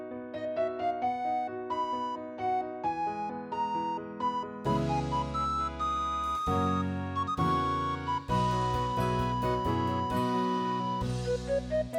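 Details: Gentle background music led by electric piano and flute-like melody lines over soft chords.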